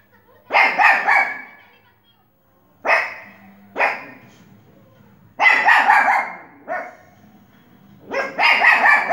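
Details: Pomeranian dog barking while watching TV: sharp, bright barks in short bursts, some doubled, spaced a few seconds apart, with a faint low hum between them.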